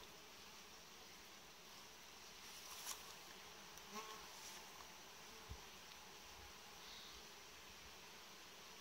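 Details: Steady hum of a honey bee colony in its hive, frames set in a warm-frame layout: a continuous buzzing drone throughout, broken by a few short clicks and knocks of handling around the box.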